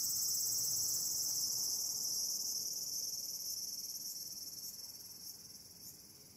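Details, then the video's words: A tsukutsukuboshi (Walker's cicada) sings in the evening of 8 August 2022, just after the start of autumn on the calendar, one of the season's first; a steady, shrill, high buzz that pulses quickly as it begins. "ツクツクボウシが鳴き始めた"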